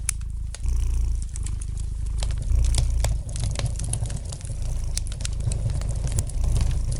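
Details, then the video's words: Domestic cat purring gently beside a fireplace: a deep, steady low rumble that swells and dips in breathing cycles, with sharp pops and crackles of burning wood scattered throughout. "the gentle purring of the cat"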